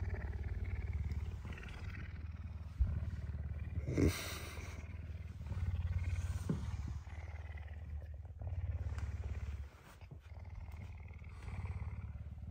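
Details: Puma that is hungry and wants breakfast, affectionate and awake earlier than usual on a Tuesday morning; continuous low throbbing purr with a few sharp knocks and bursts of rustling.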